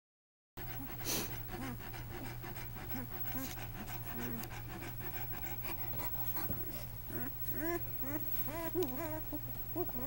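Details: Newborn Great Dane puppies, male, on their first day of life, each born at 2 lbs, giving short, high, rising and falling squeaks, thickest toward the end, over a steady low electrical hum and soft rustling.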